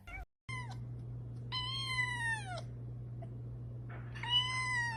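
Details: Kitten meowing indoors: a short high meow, then a long drawn-out one sliding slowly downward, and a third after a pause, each clear and tonal with rich overtones, over a steady low electrical hum.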